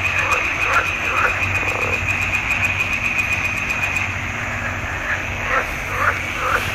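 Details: Chorus of frogs in a swamp pond, June 2021: quick repeated croaks about twice a second over a continuous high trilling hum from many callers.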